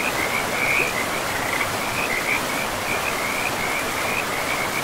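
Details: Frogs calling beside a river in a pristine, moss-covered forest: a steady chorus of short, high, rattling trills repeating almost without pause, over a constant broad rush of flowing water.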